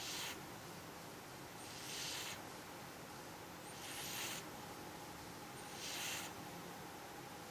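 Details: Snoring cat: quiet, hissy breath sounds repeating around every two seconds, each a short swell of airy noise, in a still indoor setting.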